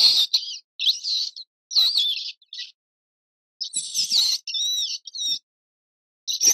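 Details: Mouse making high, thin squeaks in short bursts of wavering, bending tones, grouped in clusters with brief silent gaps between them.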